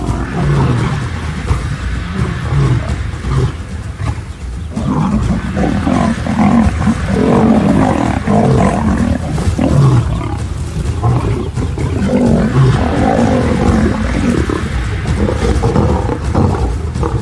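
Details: Lions from an African pride documentary, where a mother turns on her own sons, give low rumbling growls and snarls throughout, dense and continuous with short pauses, under a faint music bed.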